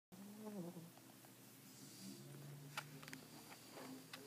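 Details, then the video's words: Sleeping American Pit Bull Terrier snoring softly indoors: low, faint nasal tones with a steady hum, plus a few sharp clicks and light rustling in the background. "Cute pitbull snoring"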